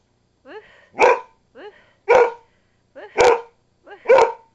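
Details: A female dog barking a lot, wanting attention: four paired bursts about one per second, each a short rising yelp followed by a loud, sharp bark, with quiet in between.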